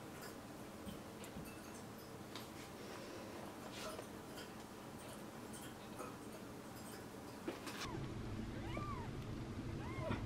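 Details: Tiny chubby kittens Daisy, Darcy and Diesel indoors on the day their eyes first opened; after a noisy, hissing start, three thin arched mews rise and fall in quick succession near the end.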